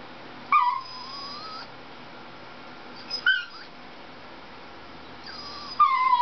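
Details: Dachshund named Dixie whimpering during a Toyota chase commercial on television: three separate high yelping whines, each starting with a sharp onset and sliding downward, spaced roughly two and a half seconds apart over a quiet background hum.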